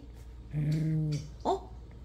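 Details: A dog growls indoors when asked for a kiss, a steady low humming rumble lasting about half a second, followed by a short rising squeak and quiet room noise.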